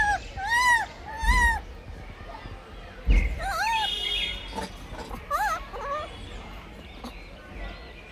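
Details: Blind baby monkey fighting for food, giving a series of arched, whiny tonal calls that rise and fall, some in quick pairs, with soft rustling and thumps between them.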